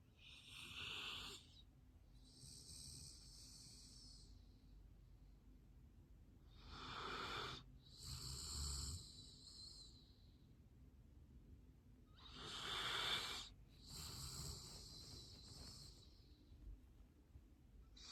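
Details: Golden Retriever snoring indoors: long, breathy, wheezing snores with hissy whistling tones, each lasting one to three seconds and separated by quiet pauses, roughly every five to six seconds, with a low background hum.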